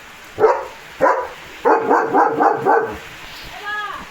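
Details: Leo the German Shepherd making his morning racket at a farm, aimed at passing cattle, vehicles and dogs. Two sharp barks lead into a fast run of five rapid barks, followed by a short tonal vocal sound near the end.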